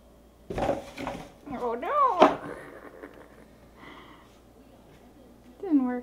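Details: Slim the cat indoors on the day of his first treat, giving wavering, arching meows with rich harmonics, one long mid-pitched cry, then a short falling mew at the end, with a human voice speaking nearby.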